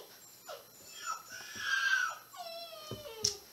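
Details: Dobermann chomping while playing: a mix of whining, moaning vocal sounds, a long rising-and-falling whine in the middle, then a harmonic-rich whimper sliding downward and sharp clicks, recorded indoors.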